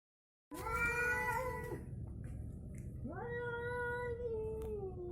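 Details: Two domestic cats, one orange and one striped tabby, fighting: a long harmonic yowl rises slightly then holds before breaking off, followed after a pause by a second drawn-out yowl that sweeps up and wavers gently.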